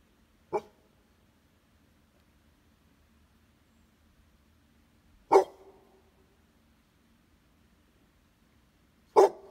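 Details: Barking from a Pitbull or a Beagle–Basset Hound mix: three single, short, punchy barks separated by roughly four seconds of near silence, with a faint low hum in the background.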